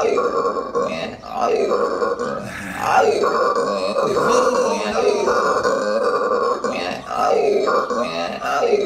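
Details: Loud howler monkey calling in Aruba, a rasping, throaty roar in long, wavering bouts that rise and fall, with short pauses near the third and seventh seconds.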